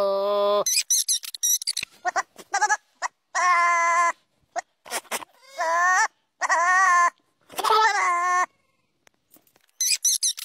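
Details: Goat bleating repeatedly in a busy series: drawn-out quavering bleats mixed with short squeaky cries and abrupt shrill bursts, with brief gaps between calls.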